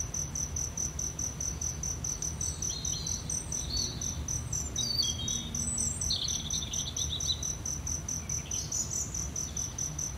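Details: Cricket chirping as an even, rapid, high pulse train, joined by occasional short bird whistles and chirps over a low hum.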